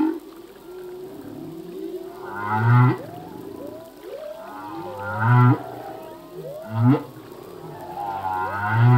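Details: Male humpback whale singing a full-length song, filmed above and below water: low moaning units and rising upsweeps repeated roughly every two to three seconds, some with a higher harmonic-rich whine, over a steady low ocean hiss.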